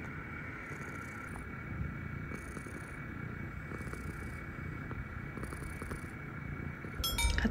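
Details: A quiet indoor room hum with faint steady tones and occasional light clinks is heard, and no animal calls.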